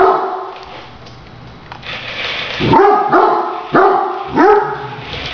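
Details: After a quiet, rustling start, a Great Dane playing with a remote-controlled toy tarantula lets out four loud barks spaced about two-thirds of a second apart, each with a sharp upward onset.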